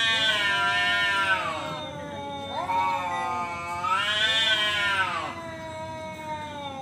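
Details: Male cat's fighting yowl: a long wavering moan that swells twice into a harsh, screechy wail, with sustained low howling between the peaks.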